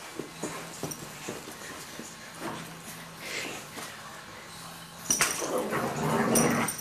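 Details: Dogs at play, a German Shorthaired Pointer with a Yorkshire Terrier, indoors: a run of short, soft whimpering whines repeating a few times a second, then a louder burst of scuffling and huffing near the end.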